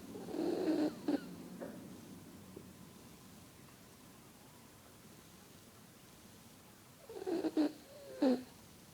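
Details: Dog asleep and dreaming, making a short nasal snore at the start, then a long quiet stretch, then a few snuffling, squeaky snorts near the end in a small indoor room.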